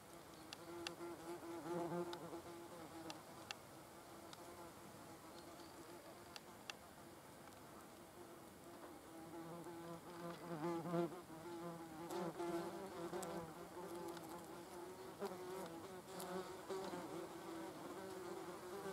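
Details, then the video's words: Several wasps feeding on an animal carcass, a steady low buzzing with layered harmonics that swells and fades as individuals shift around, punctuated by faint clicks and ticks. "wasps as health police eating cadaver"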